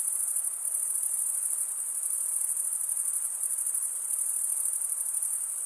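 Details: Continuous cricket stridulation, a thin, piercing high trill pulsing finely and evenly throughout, level and unchanging, with a soft hiss beneath and nothing else audible.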